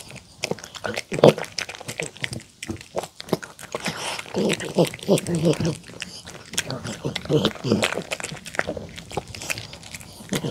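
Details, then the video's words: Mong, a poodle, eats homemade chicken tenders and a salad of apple, carrot and cabbage dressed with sweet pumpkin, egg and olive oil. Close, crisp crunching and wet chewing come in uneven bursts, with short pauses indoors. "푸들 몽이 강아지 먹방 치킨텐더 샐러드 DOG ASMR MUKBANG eating show"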